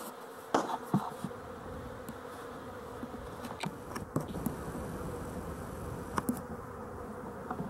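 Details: Honey bees, filmed on 12-11-23, give a dense steady hum centred low and mid-range, broken by sharp clicks and taps near the microphone at about half a second, four seconds and six seconds.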